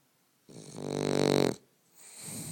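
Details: Boston Terrier named Ike snoring while asleep: one long rumbling, buzzy inhalation lasting about a second, swelling then stopping abruptly, followed by a softer breath.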